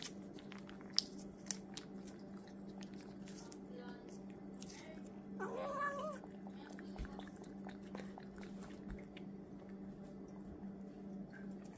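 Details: A domestic cat with anger issues gives a single short, tonal meow midway through, set against a steady low electrical hum and scattered clicks and taps.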